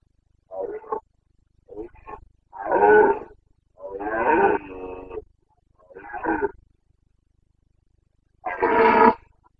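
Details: Carpathian red deer stag roaring during the boncănit rut in the Bucovina mountains, 29 September 2022: harsh, throaty harmonic bellows in separate bursts, the longest about a second and a half, with a final loud roar after a pause.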